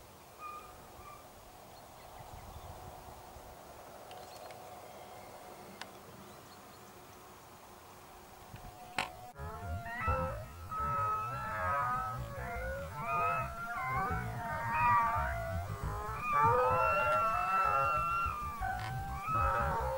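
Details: Segugio Italiano hounds in Evros, Greece, on 22 October 2023, on a hare chase: quiet rural ground first, then a sharp knock, then a rising chorus of wavering, overlapping, musical bays that grows louder toward the end.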